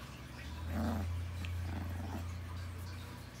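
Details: Rottweiler puppies make a low, rumbling growl that swells and fades over a few seconds, with faint higher whine-like traces, indoors amid a steady background hum.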